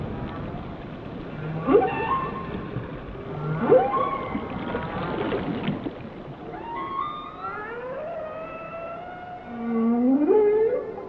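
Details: Whale song of harmonic moans and swooping tonal calls, some rising into long upsweeps, with a strong upward-curving call near the end over a soft underwater hiss.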